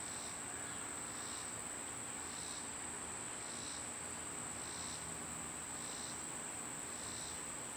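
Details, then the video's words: Cicadas in summer, loud at this time of year: a steady, high, ringing insect drone runs throughout, overlaid by pulsed buzzy bursts repeating roughly every second and a quarter, with faint outdoor background. "Birds & Squirrels w/ Cicada sounds"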